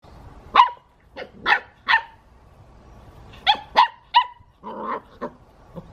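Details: English Pointer puppy, eight weeks old, giving short high yelping barks in two bursts, about four yips near the start and five more after a pause, with quieter whines at the end.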